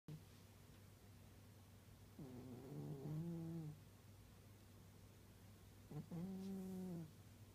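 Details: Old domestic cat snoring in its sleep, likened to an old man: two low, rough, voiced snores about four seconds apart, each lasting over a second, over a steady low indoor hum.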